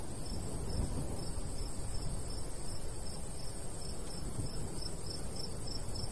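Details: Summer crickets at a golden wheat field in the countryside give thin, high-pitched chirps in an even series roughly twice a second, with a steady low wind rush underneath.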